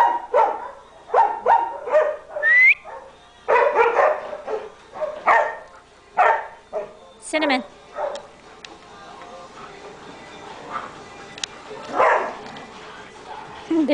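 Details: German Shepherds playing at a rescue, a run of sharp barks in the first half followed by quieter growls, a high squeaky toy-like squeal and a human voice later on.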